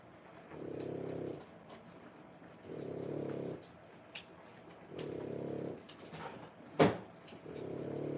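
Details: French Bulldog dam nursing her three-week-old litter indoors gives four rhythmic, rumbling snore-like breaths, about two seconds apart, with a sharp knock near the end and soft rustling.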